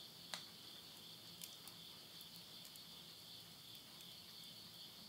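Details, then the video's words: Japanese countryside at midnight, Yurihama in Tottori, September 2020: end-of-summer insects keep up an unbroken high ringing drone while stove flames give occasional soft crackles. "the voice of insects"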